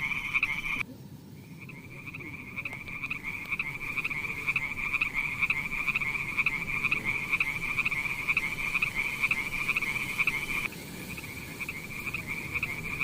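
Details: Frogs near mossy wet rocks, with snails around, give a long, high, rapidly pulsed trill that runs steadily with only brief pauses.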